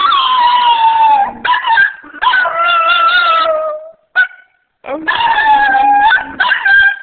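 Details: Pet Shih Tzu singing during one of her regular sessions: long wavering howled notes, sliding slightly downward, broken by short gaps and a brief yip, with a bright harmonic voice throughout.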